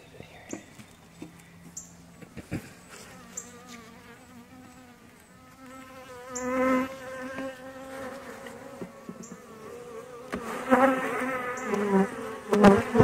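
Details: Honey bees at a relocated hive during an inspection; a faint hum at first, then a loud wavering drone with stacked harmonic bands swells from the middle onward, with scattered clicks and handling knocks.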